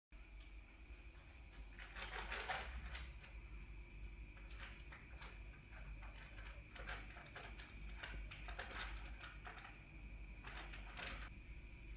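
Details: Indoors, a steady electrical hum runs under repeated knocks and bangs like cupboards or doors opening and closing, with faint rustling.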